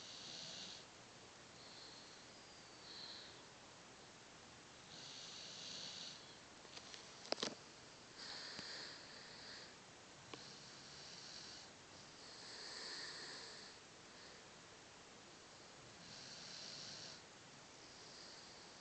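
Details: Jesse, a Cocker Spaniel mix dog, snoring while asleep on his sofa indoors; soft airy hissing breaths swell and fade every two to three seconds, one sharp click near the middle, faint talk in the background.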